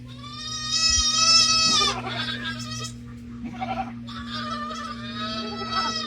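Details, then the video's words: Young goat kids bleating loudly on a farm during morning milking, wanting to nurse because milking is running late; loud, nasal, wavering bleats in two long bursts with shorter cries between, over a steady low mechanical hum. "Sorry about the kids yelling. They want to nurse."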